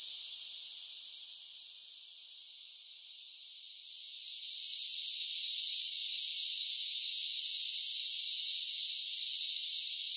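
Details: Singing cicadas on a summer day produce a steady high buzz that briefly fades softer around two to four seconds, then rises back to a constant, even drone.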